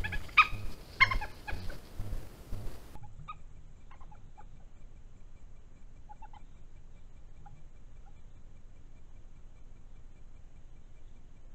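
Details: European badger cub caught on a trail camera on 16 June 2021, opening with loud squealing, wavering cries, then a few faint brief squeaks in near quiet.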